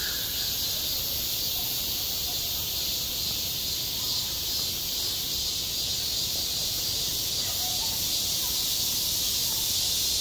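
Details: Midsummer cicadas at a school playground, recorded firsthand: an intense, even, high-pitched hiss holding throughout, with only faint, barely noticeable calls beneath it.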